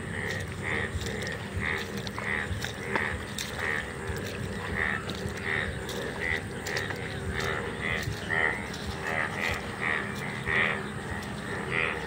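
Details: Many sona bang, the Indian bullfrog, gathered and calling in an open field during their once-a-year appearance. A chorus of overlapping grating croaks pulses steadily about every half second over a rough, rattling background.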